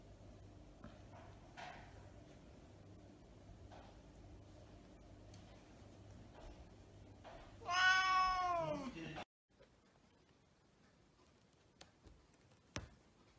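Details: Havana Brown cat in a quiet room: after soft background murmur, a single loud, rising-then-falling meow of about a second and a half, followed by near silence and a couple of faint clicks.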